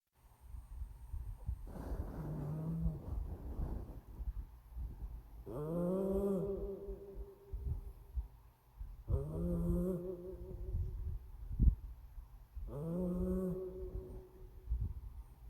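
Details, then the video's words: A sleeping cat snores in a steady rhythm, with a buzzy, rasping breath roughly every three to four seconds. Each snore has a droning, slightly rising tone, and low rumbling noise continues underneath. "코고는 고양이"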